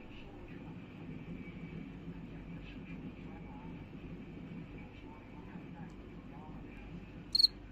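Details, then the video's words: A cricket cleaning its body gives a brief, sharp, high chirp near the end over faint steady buzzing and low room noise. "Cricket Cleans His Body and Makes a Happy Sound"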